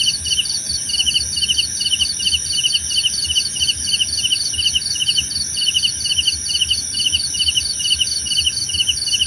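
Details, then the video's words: Steady night-insect chorus of crickets: evenly spaced pulsed chirps, roughly two a second, interwoven from at least two callers, with an unwavering, shrill high-pitched background ring. "Suara Jangkrik Membahana!"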